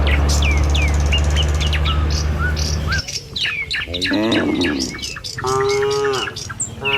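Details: Tame cattle herd on a village road in the morning, heading for the pen. Quick bird chirps and whistles fill the opening seconds, then a cluster of wavering, harmonic moos follows with birdsong continuing overhead.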